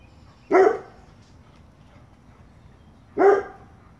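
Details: Old English Sheepdog pup playing with an older dog in Arkansas while its elderly mother watches; two short, sharp barks about two and a half seconds apart in a quiet room.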